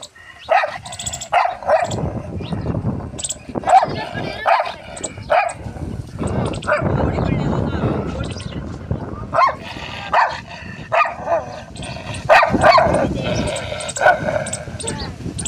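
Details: Pit Bull giving repeated sharp barks, often in pairs, roughly every one to two seconds, with people talking throughout and a noisy background.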